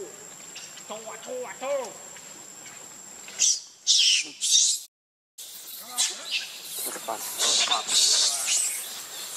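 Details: Hungry baby monkey Leo begs its mother for milk: soft arching whimpers rise and fall at first, then give way to harsh, breathy high screams in loud bursts, broken by a brief total silence before the crying resumes.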